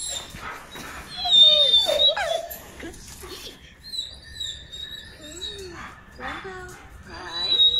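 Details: A German Shepherd squeals while pet dogs listen. Several thin, sliding whimpers rise and fall, with a sustained high tone. A woman talks in Spanish throughout.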